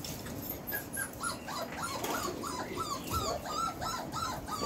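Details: Belgian Malinois puppies, four weeks four days old, from a litter born 26 September 2021, make a run of rapid high whimpers and yips, rising-then-falling whines repeated several times a second over a steady background hiss.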